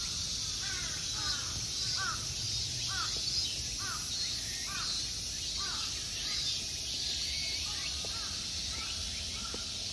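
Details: Insect drone in summer at the Honmonji temple park, Ikegami, Tokyo, Japan, continuous and shrill, with harsh bird caws repeated roughly every second across most of the stretch.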